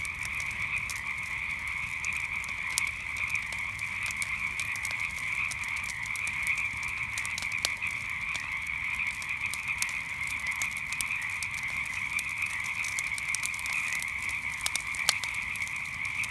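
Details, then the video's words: Frogs calling all together after dark, a continuous high buzzing chorus without pause, with scattered crisp crackles and snaps from a nearby campfire throughout. "Relaxing Sounds of Frogs and Campfire at Night"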